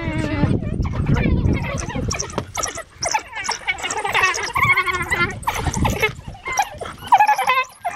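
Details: African wild dogs chatter at feeding time in a busy mix of high squeaks, twitters and bleating whines.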